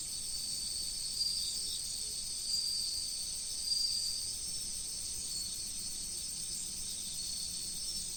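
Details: Insects calling in autumn beside a river, a continuous shrill high ringing with three brief louder chirps spaced about 1.3 seconds apart early on, soft low rumble underneath.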